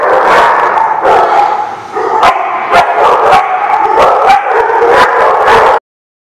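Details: Rapid, overlapping dog barks at roughly four per second form a dense, noisy chorus. The barking eases briefly around two seconds, then stops abruptly before the end.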